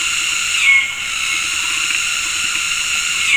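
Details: Cicadas in afternoon tropical forest at Gunung Ledang Nature Reserve, West Malaysia, synchronizing mating calls from several directions: a dense, continuous high hiss in stacked bands, swelling slightly near the start and end, with a brief whistled note.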